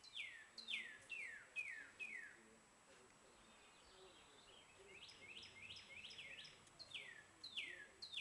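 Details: Baby squirrels being hand-fed give high, thin squeaks that slide steeply downward, in quick bursts of two to five calls separated by short pauses, about fourteen calls in all over a faint background hiss.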